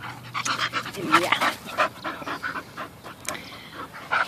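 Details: Rescued Bull Terriers playing, the nine-month-old puppy Peyton alongside eleven-year-old Quigley. Rapid rhythmic panting and snuffling dominate, with a person talking over the dogs and a few sharper yelps.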